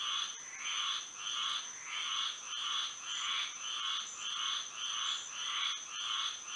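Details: Night chorus of frogs in Florida by moonlight, repeated raspy croaks in regular bursts about every half second, several callers overlapping, over a continuous thin high-pitched drone.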